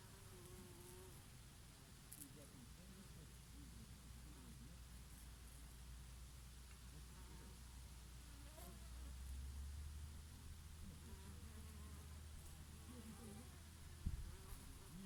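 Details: Summer honey bees working oregano blossoms, with the odd bumblebee; low, steady breeze rumble dominates while faint, wavering buzzes drift in and out, rising and falling as insects move between flowers.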